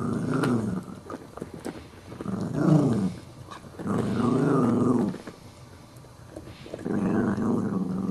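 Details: Tussle over a bone between a small Chihuahua puppy and a big adult dog that keeps it. Three long rough growls, each one to two seconds long, rise and fall in pitch, with brief pauses between them.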